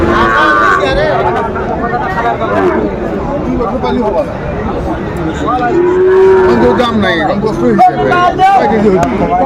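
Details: Sahiwal breed bulls at a crowded cattle market where a Comilla farmer buys stock on 17 January 2025. A drawn-out, harmonic lowing moo rises above a steady wash of crowd chatter and haggling voices.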